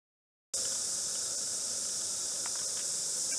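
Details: Cicadas, normally diurnal, sing at 11:30 p.m. on 9 February 2014 in a dense, steady, hissing drone that starts suddenly and never lets up.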